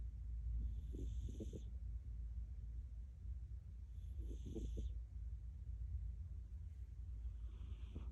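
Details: Munchkin cat Milk-chan snoring heavily, short snorting breath pulses in clusters about every three seconds over a constant low hum, with faint airy hiss between breaths.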